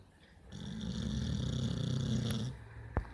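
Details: A pit bull sleeps with one steady, deep, vibrating snore that runs for about two seconds, then a soft exhale and a brief click near the end.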